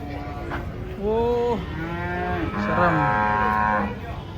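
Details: Two bending, strongly harmonic moos from a huge, ill-tempered bovine during unloading from a truck, the second call longer and higher, over constant low mechanical background noise.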